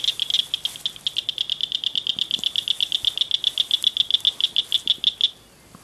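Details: A culvert full of frogs at night beside a ditch; one bright, evenly pulsed trill of high chirps, about eight per second, runs for over five seconds, then stops abruptly into quiet.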